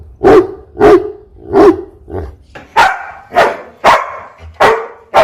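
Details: A dog dressed in a costume barks loudly and repeatedly, eight sharp barks in about five seconds, the later ones higher and harsher, over a low background rumble.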